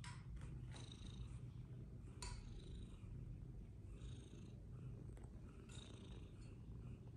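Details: Fluffy Persian cats playing games; low rumbling purr runs steadily while scattered clicks and short high beeps sound above it.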